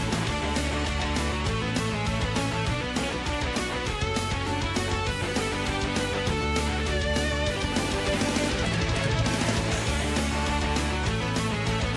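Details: Loud, driving rock music with strummed electric guitar and pounding drums fills the whole stretch.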